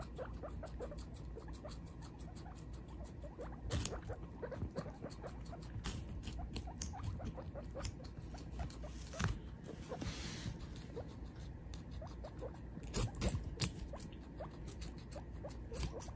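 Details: Guinea pig mother with her baby munching watermelon, continuous moist chomping and crackly bites, a few louder crunches and a soft hissy burst midway, low background hum throughout.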